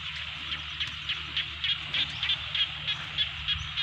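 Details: Rainy-season rice field frogs in Thailand, a steady chorus of pulsed croaks with prominent notes repeating fairly regularly, roughly three times per second, over a constant background hum of many callers.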